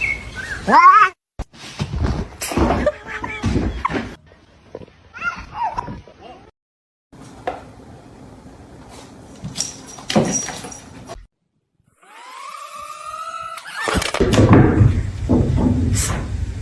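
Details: Kitten indoors giving a few drawn-out, rising meows with clear harmonic overtones, separated by pauses and broken by short thumps, rustling and a person's voice talking nearby.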